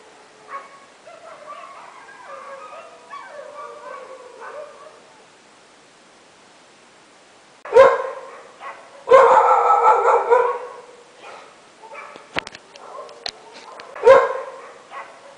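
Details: Midnight barking from several dogs: soft distant yelps and whines first, a pause, then loud harsh barks in bursts, with a sustained volley and later single sharp barks.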